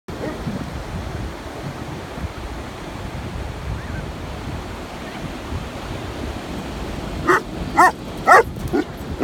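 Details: Landseer dog at sunset on the Olympic Peninsula, giving four short sharp barks close together near the end, over steady roaring ocean surf throughout.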